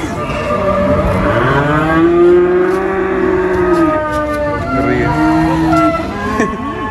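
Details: Cattle taken to the Prambanan animal market, lowing in drawn-out, wavering moos that rise and fall over several seconds, with crowd and traffic noise from the busy market around them.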